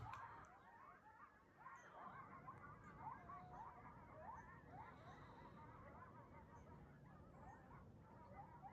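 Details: A pack of coyotes running through a neighborhood in the morning, waking up and on the move: a dense, overlapping chorus of short yips and wavering howls, with a low rumbling background throughout.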